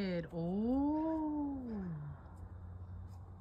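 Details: White-tailed deer doe, stuck and confused between a fence and hillside near a house, panics when she hears a person and gives a drawn-out, nasal distress bleat that rises, then slowly sags lower; she later escapes unhurt.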